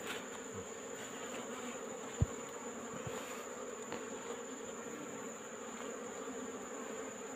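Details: Afternoon removal of wild Apis cerana honey bees nesting in a hole in rock: continuous low buzzing drone of many bees, with a few knocks and taps from the work.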